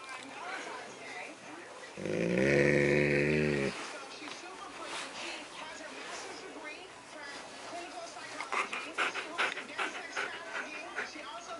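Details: Male Siberian Husky, happy while having his ears massaged indoors just after midnight on 3 March 2017, gives a drawn-out, deep moaning groan lasting about two seconds, rich in harmonics, then quieter rhythmic breathy snuffling sounds.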